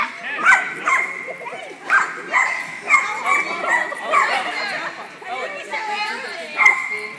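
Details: Dachshunds at a playdate, recorded 30 January 2010: sharp yappy barks repeated at irregular intervals of about one to two seconds, mixed with lively human chatter and excited voices.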